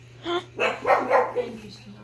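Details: A one-year-old female pug barks at the TV game show Wheel of Fortune: four or five sharp, high, yappy barks in quick succession over a faint steady electrical hum, with faint voices possibly mixed in.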